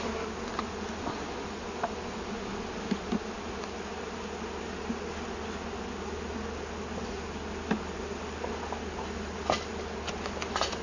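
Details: Colony of honey bees rehoused after discovery in a felled tree, their queen held in a small plastic queen-catcher. An even, quiet, low-pitched drone fills the recording, with a few scattered faint clicks.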